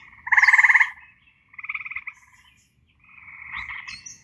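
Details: Eastern gray treefrogs near a forest pond in northeast Ohio after dark give three slow, musical pulsed trills, each under a second, pulses countable and slower than Cope's gray treefrog; a second, blurrier trill overlaps at the end.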